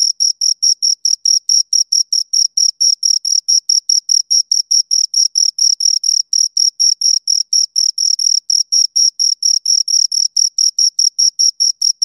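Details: Two crickets make a fast, regular train of shrill chirps, roughly four every second, each a brief bright pulse with a thin higher band, continuing without pause and free of any other noise.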